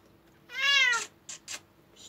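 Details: Indoor domestic cat protesting during a claw clipping at New Year: one loud, drawn-out meow that rises slightly then falls, followed by two short noisy bursts.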